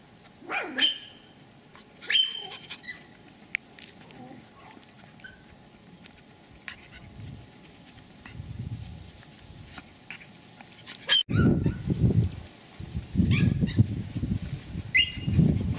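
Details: Pomeranian spitz dogs at the Elenhouse kennel in Kyiv, giving a few sharp, high-pitched yapping barks spread over the recording, with a short burst near the end, while a human voice repeatedly calls the name Nyura amid low rumbling background noise.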